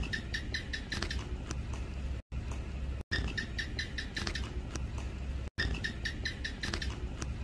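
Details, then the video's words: Common house gecko, a Hemidactylus lizard, giving a long calling bout; rapid series of sharp, bright chirping clicks in bursts, each series quickening then stopping, repeated after short pauses over a low background hum. "เสียงร้องจิ้งจก ร้องยาวๆ"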